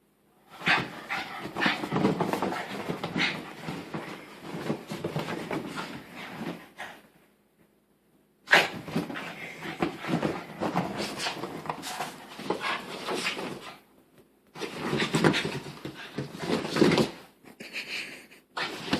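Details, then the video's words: Female dog wearing a new sweater she apparently dislikes, making strange sounds indoors: long raspy, breathy grumbling and whining stretches of several seconds each, separated by short silences. "Funny Dog Makes Weird Noises"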